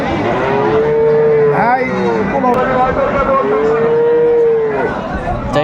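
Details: Sahiwal bull at a cattle market in Cumilla, Bangladesh, on 26 December 2024: two long, steady, drawn-out moos, each lasting over a second with a slight fall at the end, over a background of market chatter and passing vehicles.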